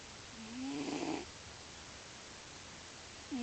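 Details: Lio, a male pet cat, sleeping and snoring loudly: one drawn-out, nasal, whistling-toned snore that slides slightly upward and swells then stops, with the start of the next breath at the end.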